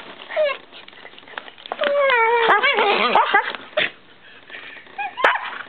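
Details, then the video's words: Shiba Inu playing with a Siberian Husky beneath a kiddy bed, giving squeaky whines and a sustained, wobbling whimper that slides downward, followed by a tangle of yips and grumbles, then quieter scuffling and one last short whine. "Strange Shiba Sounds"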